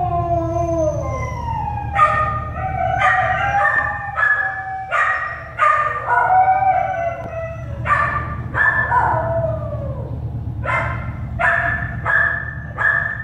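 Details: American Staffordshire Terrier puppies born at an animal shelter: sliding, falling whines open, then a run of short, high, harmonic yelps in quick bursts, all over a steady low mechanical hum.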